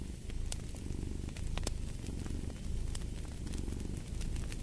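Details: Domestic cat purring steadily in a low, rumbling drone that swells and fades with each breath, layered with crackling fireplace pops and snaps.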